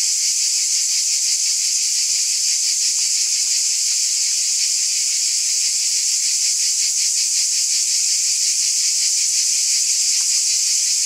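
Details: Cicadas chorusing through a summer night make a seamless high, hissing drone that pulses gently about three times a second, level and uninterrupted, with a couple of faint ticks.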